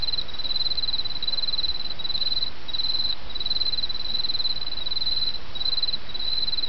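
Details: Insects singing in autumn against the murmur of a small brook, giving bright, high trilled bursts in an even repeating rhythm, roughly two per second, with a continuous low watery hiss beneath.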